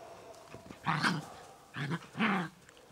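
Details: Ten-week-old Collie puppies of the X litter in a large outdoor run give three short, harmonic yapping barks within about two seconds, the last one longer with a slight rise and fall, against a quiet background.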